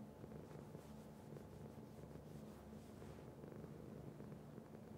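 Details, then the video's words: A pet cat purrs continuously, a low grainy rumble with rhythmic in-and-out breath pulses and faint airy hiss in the first few seconds. "Cat Purr"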